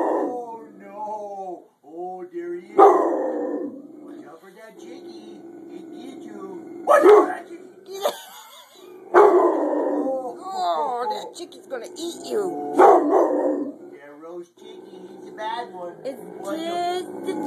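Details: Rottweiler indoors barking at a chicken baking in the oven; loud broad barks at about three, seven, nine and thirteen seconds, with whining, howl-like tonal sounds and a woman talking to the dog throughout.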